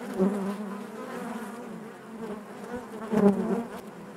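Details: Inside a honey bee hive: a continuous low humming drone with harmonic layers, briefly louder near the start and again toward the end as nearby bees pass.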